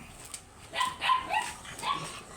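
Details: Oversized Golden Retriever at a stud service in Laoac, Pangasinan, giving a short run of high, thin whining yelps in quick bursts over about a second, with faint rustling noise behind.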